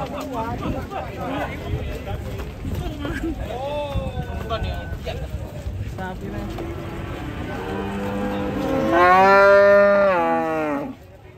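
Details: Agitated cow rampaging and swimming in water while villagers gather: a loud, long, harmonically rich moo builds near the end and holds for about three seconds, over constant chatter and calls from the crowd.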